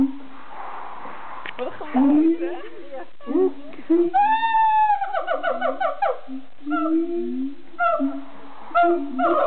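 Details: Siamangs in Amersfoort Zoo in the Netherlands sing loud, swooping hoots and barks, with one long rising-and-falling wail in the middle.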